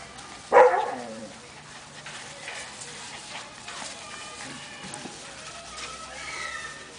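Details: A 5-week-old Siberian Husky puppy, playing outside with littermates, gives a sharp, high yip followed by faint whimpers and light background noise.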